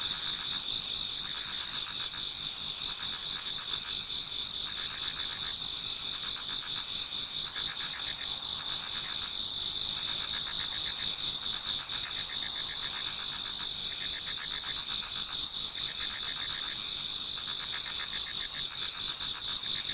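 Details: Numerous autumn insects singing in a Japanese garden near dawn; an unbroken shimmering chorus of high trills and chirps, pulsing rapidly and evenly, with slight periodic swells in intensity.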